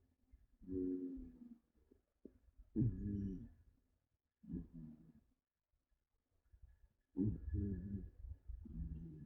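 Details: Haku, a tired female pet cat fast asleep, snoring loudly: deep, throaty, rumbling snores about every two seconds, each a short growly buzz with rising and falling tone, silence between breaths.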